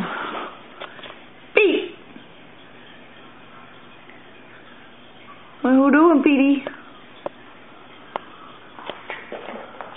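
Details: Boston Terrier puppies Pete and Brinkley playing and tussling over toys on a slippery indoor floor; one high yelp early, then a wavering, quivering whine lasting about a second, with a woman chatting to the dogs around it.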